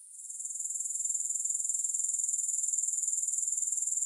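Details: Grasshoppers in a steady, very high-pitched buzzing trill that swells in over the first second, finely pulsed about four times a second, with no music or other sounds.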